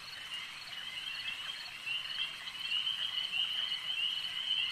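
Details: Frogs croaking at a lake, a thick high trilling chorus that swells slightly louder toward the end, with one bright rising call standing out above the steady mass of overlapping voices.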